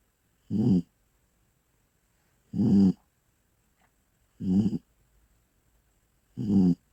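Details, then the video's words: A sleeping Bull Terrier snores: four rough, rasping snores with low buzzy bands, each about a third of a second long and coming roughly every two seconds, with near silence between them. "Как храпит буля"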